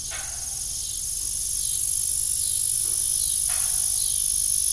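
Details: High, continuous shrilling of crickets in the evening near a rusty farm windmill, gradually growing louder, punctuated by two short creaking knocks.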